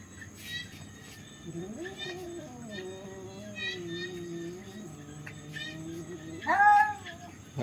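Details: Cats in a fight making low, drawn-out moaning yowls that hold steady and sag in pitch, ending in a sudden louder, higher squall.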